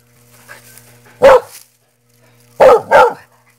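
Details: Dog barking: one loud, sharp bark followed after a pause by a quick double bark, all three short and explosive, with a steady low electrical hum underneath.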